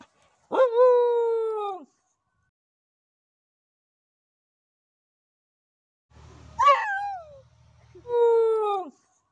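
A dog gives short, steady howls that sag in pitch at the end, with a yelping note between them.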